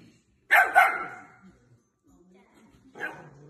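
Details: German Shepherd, a large dog living with a newborn baby in the family home, gives a loud, harsh double bark. A shorter single bark follows about two seconds later, with faint murmuring in between.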